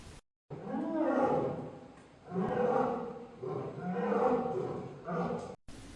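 A lion gives a series of deep, rough, drawn-out roars, each about a second long.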